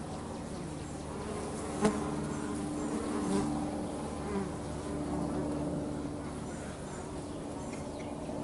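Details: At home, bees at work produce a smooth low hum with one sustained steadier buzzing tone and gentle swells, broken by a single sharp click.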